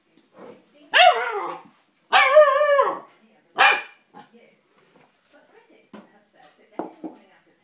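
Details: Malamute husky puppy demanding his dinner: three loud drawn-out yodelling cries with wavering pitch in the first four seconds, then soft scuffles and quiet noises; an owner's voice tells him to go on.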